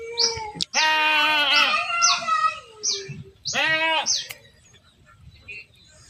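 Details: Goats being herded give loud, quavering bleats that slide downward at the end, with two bursts separated by a short gap. High chirps accompany them, then the bleating fades to quiet.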